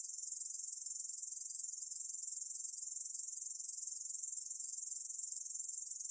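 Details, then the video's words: Korean bush cricket, recorded in 2020 by Korea's National Institute of Biological Resources, producing a sustained high-pitched metallic buzz of quick, evenly spaced pulses without a break. "중베짱이, 여러번 듣기, 곤충소리"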